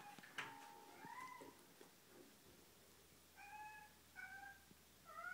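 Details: Small indoor kitten meowing repeatedly: clear, tonal mews with steady harmonics, some sliding upward, in a series of five or six calls spaced about half a second to a second apart, over a low room hum.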